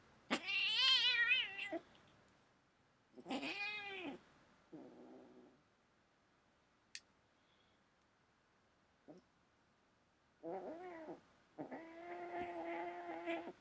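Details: House cat indoors giving a loud, wavering yowl, then a shorter wail and a low moan, a long quiet gap with a sharp click, and finally more drawn-out, throaty yowls.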